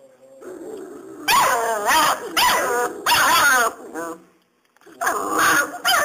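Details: Five-week-old Serbian Mastiff x German Boxer bandog puppies giving loud, wavering, harmonic yelps and whines in three close bursts, a pause, then a fourth burst; brief murmurs in between.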